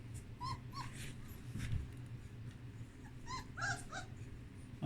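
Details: Young puppies in a whelping box after the blankets were changed, exploring, give short high whimpers and squeaks in brief clusters, with a low steady hum underneath.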